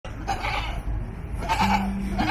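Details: Goat kept beside young capybaras at Mihama, Urayasu, Chiba, Japan, 18 July 2020, filmed on a DJI Osmo Pocket; its call is said to sound like asking for more food. Short bleats open the clip and return near the middle, over a flat steady tone.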